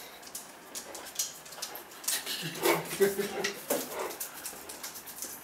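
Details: Great Dane named Cartier Bresson, playing indoors in an apartment in Sao Paulo in August 2014; soft breathy whimpers and short huffing grunts come in irregular bursts, loudest midway, mixed with light clicks and rustling of play.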